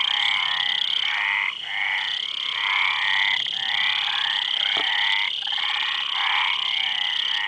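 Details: Frogs croaking in steady succession, each call a coarse pulsed rattle under a second long, with a short dip after the first phrase, above an unbroken high-pitched hum.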